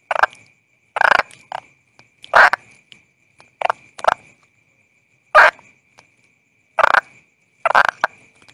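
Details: Sparse harsh croaks from a calling toad, single or paired bursts separated by pauses of up to a second and a half, with a steady faint high whine.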